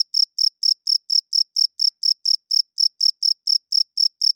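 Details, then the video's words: Night-time cricket song from a male rubbing its wings together to attract females and hold territory: steady, evenly spaced shrill chirps, roughly four each second, running without a break against a silent background. "40 Minutes of Cricket Chirping Sounds - Cricket klinkt 's nachts luid"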